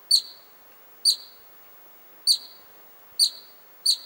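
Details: Columbian ground squirrel, excited, calling in Little Yoho Valley near the Stanley Mitchell Hut: short piercing high chirps repeated five times at slightly uneven intervals of about one second, over a quiet background.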